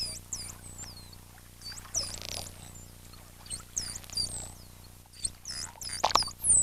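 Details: Wild bottlenose dolphin mother and calf, recorded in a health assessment setting, trade signature whistles: mom's quick looping "tweet tweet" answered by the calf's falling down-sweeps, saying "I'm here" to maintain contact.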